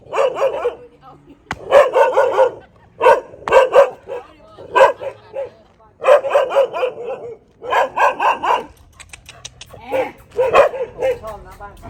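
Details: At a friend's house in Thailand, dogs bark in repeated clusters of two or three sharp barks, several bouts over the stretch, with quieter yelps between them.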